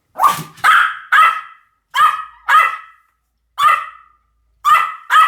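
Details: Rapid, shrill barking from a Pomeranian, clipped yaps tumbling out in pairs and singles with short pauses between them.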